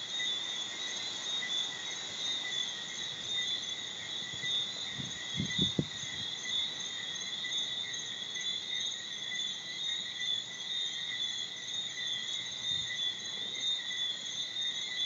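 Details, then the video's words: In Bermuda, thousands of tree frogs, with a few crickets, form a steady, shrill, high-pitched ringing chorus that never pauses; it is heard from late afternoon until late morning. "Bermuda's singing tree frogs"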